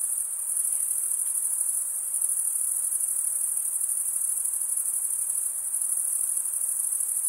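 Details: Male crickets chirping by wing stridulation create an unbroken, very high ringing trill, dense and uniform, with a quiet background and no other animals or voices.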